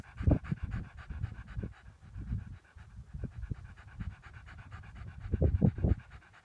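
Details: Panting from a lurcher after a near miss on a rabbit: rough, low breaths in irregular bursts, louder toward the end, with a faint constant hum underneath throughout.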